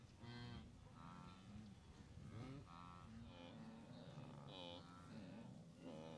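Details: A vast herd of blue wildebeest on migration near the Moru Kopjes, western Serengeti, 7 April 2012; nasal, wavering honks from several animals, some rising then falling, come roughly every second over steady low background noise.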